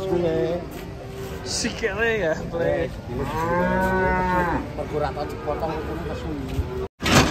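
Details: Restless cattle coming down off a truck bellow loud, drawn-out moos that rise and fall in rich harmonic arches, one long call around the middle, then a sudden break near the end.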